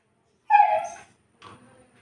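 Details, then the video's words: Saint Bernard dog, left locked alone in a room, gives one drawn-out whining yelp sliding slightly downward, followed by a fainter short whimper; a quiet indoor space otherwise. "They locked the room up and went away for some time...#Saint Bernard dog"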